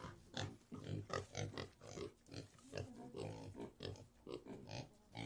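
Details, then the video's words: Pigs kept in a pigsty give steady, throaty grunts, over two per second, each short and gruff with a noisy rasp, overlapping from more than one animal. "Pig Sound Effect | (Pig Sty)"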